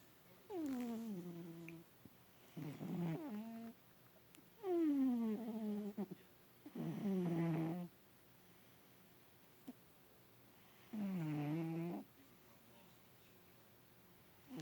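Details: Adopted house cat Bubs asleep in a lap for the first time, snoring loud with body convulsions. Five separate drawn-out, buzzy snores slide downward in pitch, each about a second long, spaced by quiet pauses of two to three seconds indoors.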